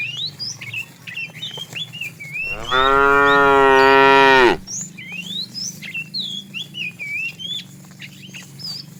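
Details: One of a herd of tame cows wandering far away looking for food lets out a single strong, buzzy moo of about two seconds midway, with birds chirping and twittering throughout.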